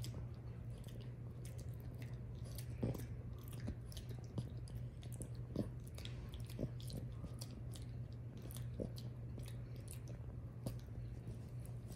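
Wet chewing and crunching clicks over a steady low indoor hum, with no calls.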